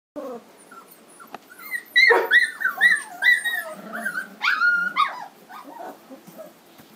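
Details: Three-week-old Standard Poodle puppies from a home-raised 2012 litter in Lodge Grass, Montana, giving high squeaky whines and yelps that rise and fall, several overlapping, with louder bursts in the middle and fainter whimpers at the end.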